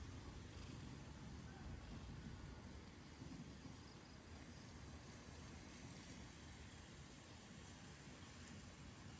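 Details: Cat purring: a steady, low rumbling throb, concentrated in the deep bass and continuing without pause for the whole stretch, over a constant soft broadband hiss.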